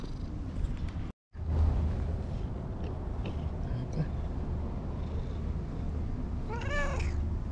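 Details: Anko, a stray cat at a green lakeside park in Japan, meowing and chattering nonstop: one clear arched meow near the end after a brief dropout, amid constant low outdoor background noise.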